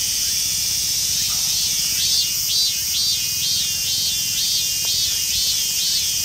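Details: A robust cicada of the rare emerald-green mikado form, found in a park in western Saitama, Japan, sings a loud, shrill drone broken into rapid repeated 'meen-meen' pulses, about two per second.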